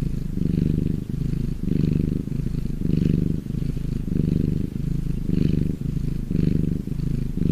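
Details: Domestic cat purr when happy, a low, vibrating rumble in regular in-and-out breath cycles near one per second, with faint soft breathy hiss on some exhalations.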